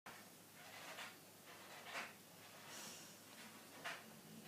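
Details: Sleeping dog snoring indoors: soft, breathy, noisy rasps rising and fading at irregular intervals of about one to two seconds, over a steady low background hum.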